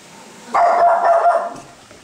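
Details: Chihuahua facing off with a Maine Coon cat lets out one drawn-out, rough bark lasting about a second, fairly loud and strongly harmonic, fading into quiet room noise.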